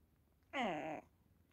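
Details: Fifteen-year-old house cat Hodu being affectionate at the side of someone working out on a foam roller: one clear, drawn-out meow that slides slightly downward and fades, lasting about half a second indoors, with a voice speaking around it.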